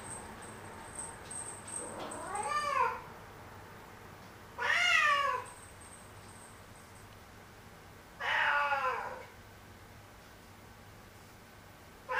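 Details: Black cat Momo voicing complaints, with dissatisfied, grumbling meows: three drawn-out, rising-then-falling wails spaced about three seconds apart, each rich in harmonics, with a faint high whine in the background.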